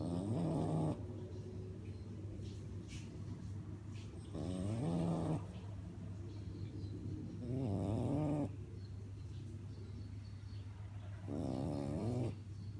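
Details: A French bulldog snores in its sleep, four wavering, nasal snores arriving about every three and a half seconds, each around a second long, with soft raspy breathing and a low hum between them.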